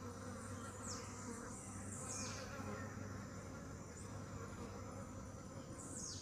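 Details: Honey bees drone steadily, a dense low buzzing hum with layered harmonics, while occasional thin, falling bird chirps sound high above.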